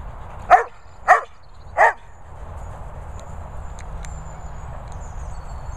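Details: Airedale Terrier indoors trying to steal a toy, giving three short sharp barks spaced about half a second apart, then quiet with faint clicks and rustling in the room.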